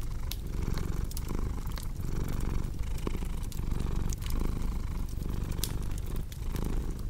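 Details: Close, strong purring from a domestic cat, a vibrating low drone with regular breath-paced swells, set against sharp pops of a crackling fireplace.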